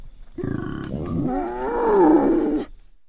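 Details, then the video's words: Wild boar uttering a single harsh, throaty grunting call that swells into a wavering, squealing tone before cutting off after about two seconds; no other sounds heard. "Wild Boar Sounds"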